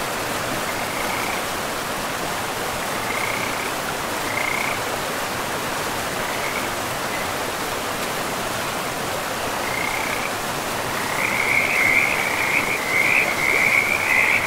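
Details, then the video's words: Frogs calling beside a river deep in a pristine, mossy forest: scattered short high trills at first, building after about eleven seconds into a dense, continuous chorus, all over the steady broad rush of flowing water. "River and Frogs sleep sounds"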